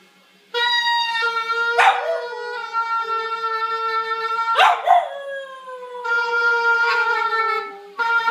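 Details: A female puppy, bewildered by oboe practice, howls along and matches the oboe's notes. Long, steady, held oboe tones run throughout, and brief, rough, wavering dog cries break in near two and five seconds.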